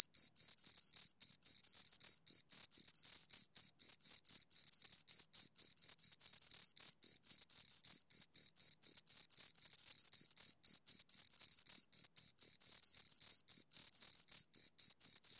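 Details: Two crickets give a long, rapid train of piercing high chirps, several each second. The rhythm wavers slightly, with occasional brief gaps, and no other sounds are present.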